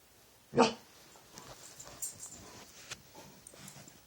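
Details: Dog making odd noises late at night at nothing: one loud, abrupt bark near the start, followed by quiet shuffling and faint breathy noises.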